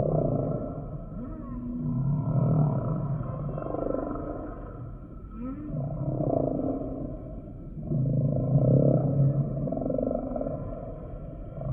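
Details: Long, low humpback whale moans rise and ebb in slow waves, each phrase a resonant droning groan with a faint upward glide, repeating in a steady cycle.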